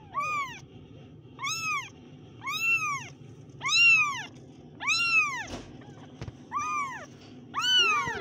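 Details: Kittens meowing: eight clear, tonal, arched meows in about eight seconds, each rising then falling, some higher-pitched and one short and squeaky, with a faint low background hum between calls.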